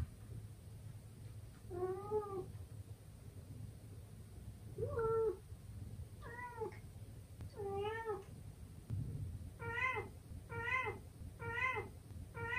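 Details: Young male British Shorthair cat named Simsobbang, indoors, fighting its reflection in a mirror, gives a series of clear harmonic meows, spaced at first, then quicker and more insistent toward the end, over a steady low hum.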